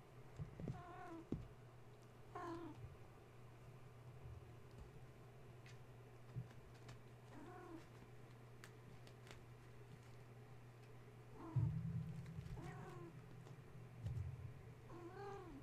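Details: Wound-up kittens at bedtime, roused when the space heater was plugged in and scrambling over fence and kennel while their mother tries to settle them: repeated wavering meows every two to five seconds, a steady low hum, occasional clicks and knocks.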